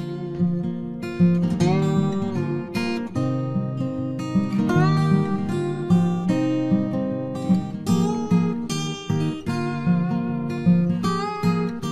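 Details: Only acoustic guitar music is heard, strummed and plucked chords with no animal voice.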